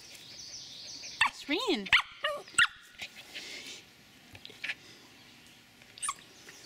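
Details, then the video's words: Ellie, a Shetland Sheepdog puppy, excited to greet someone arriving home: a quick run of high, wavering yelps and whimpers, then softer clicks and scratching, with a woman cooing baby talk nearby. "Sheltie Puppy Excited to See Me"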